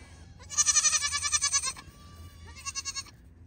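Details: Playful young Pygmy goat, a registered farm animal from Knoxville, Tennessee, USA, bleats twice: a long shaky wavering cry of over a second, then a shorter quavering repeat after a brief pause.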